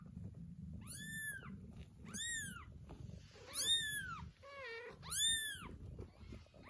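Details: Meows as a mother cat retrieves her kittens, dragging one after another: loud arched meows about once a second, one lower, softer and more quavering, over a low background rumble.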